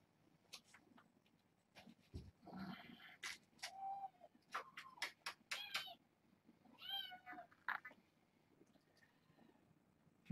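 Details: Several indoor kittens from a litter of six, penned behind a fence in a room after playing under the door with cats in the hall, call in a run of quick, high, harmonic meows and mews, some rising, mixed with soft handling noises.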